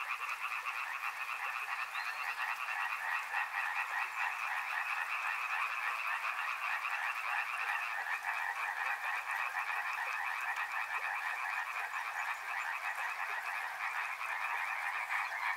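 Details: Riverside frog chorus, a thick, unbroken wall of fast clicking croaks holding steady in pitch, with a soft hiss beneath it.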